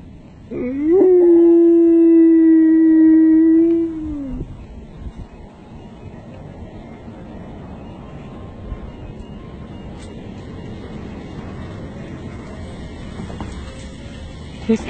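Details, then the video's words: Siberian Husky howling at an ice cream truck, as if yelling "ice cream": a single long, steady howl lasting about three seconds with a quick rise at the start and level pitch throughout, followed by quiet room hum. "Husky yells ''ice Cream'' to ice cream truck"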